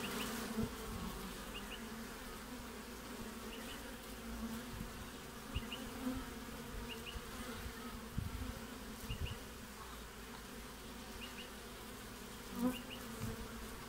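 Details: Winter activity at a honey bee hive entrance in Australia on 20 June: constant low humming drone, with short buzzes of individual bees flying by repeated every couple of seconds and an occasional faint tap.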